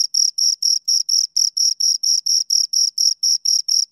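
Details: Two crickets chirp in rapid rhythm, sharp high buzzy pulses repeating about four times a second with short gaps between, nothing else audible.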